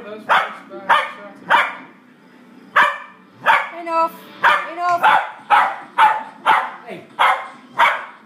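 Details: A 4-year-old female dog and an 8-week-old puppy in their first play fight, the puppy new to the home: a rapid run of sharp, harsh barks about twice a second, with brief gaps.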